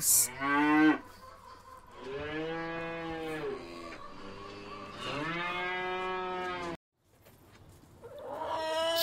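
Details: Cow mooing on a farm: long, drawn-out moos, each with a rich layered tone that swells and then fades. A short burst of other sound comes at the start, and a rising sound comes at the end.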